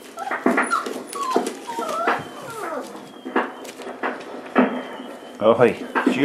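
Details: Boerboel pups four weeks old beside their mother Aston inside a small room; a run of high, wavering whines and squeaky yelps, several sliding up and down in pitch, mixed with a person talking and shuffling noises.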